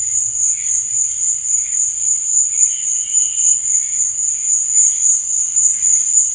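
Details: Night-time cricket chorus, one continuous shrill ringing tone that never pauses, overlaid by fainter, lower chirping that swells and fades in short bursts; nothing else stands out.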